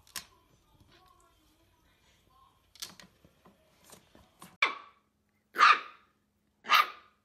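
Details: Playful Dachshund puppies, also called sausage dogs, give three sharp, bright barks about a second apart after some soft scuffling and tapping noises in a quiet room.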